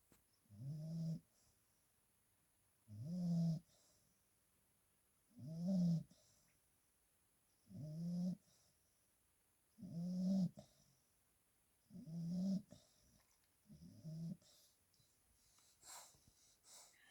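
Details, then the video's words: Bulldog asleep in its portable crate after running in and digging around in its blankets; deep, low snores come in slow, steady rhythm roughly every two seconds, seven snores in all, the last ones softer. "Bulldog snores"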